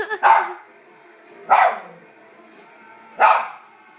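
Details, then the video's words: Dog reacting to a man's sneeze, three loud single barks spaced about one and a half seconds apart over a low background hum. "Dog barks at sneeze"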